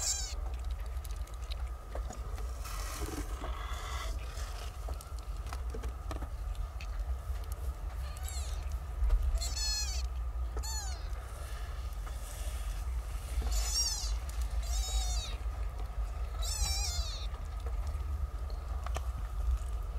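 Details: Nine young kittens, born a short time ago, nursing on their mother: repeated thin, very high, wavering cries, several in quick runs late on, over a constant low rumble and rustling.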